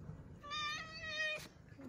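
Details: Rescued weak kitten, one of small fading kittens found leaning on each other on the way back from a family funeral, gives a single drawn-out, high, clear meow lasting under a second; quiet talking before and after.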